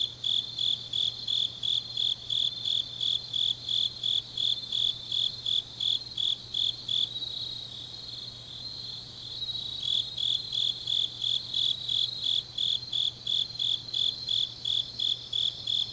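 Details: Grass insects calling on a deep autumn night in Changnyeong, Korea; regular high chirps roughly three per second, pausing for a couple of seconds into a softer continuous buzz before the rhythm returns.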